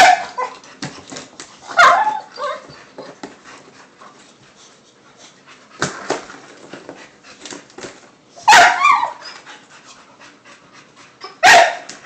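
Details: Two pet dogs playing with a cat toy indoors, giving short sharp barks and yips in bursts near two, six, eight and a half and eleven and a half seconds, with whimpering and rustling, clattering play noises between.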